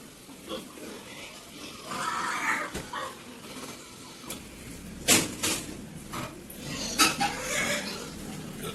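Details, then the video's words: Pigs on a farm in San Tin, Yuen Long, in Hong Kong's marshy New Territories: a short, hoarse grunting squeal near two seconds, with sharp metallic clanks and knocks in the pens later and a steady background hum. "PIG FARM IN SAN TIN YUENLONG | 养猪场 | Timepass | Natural Sounds"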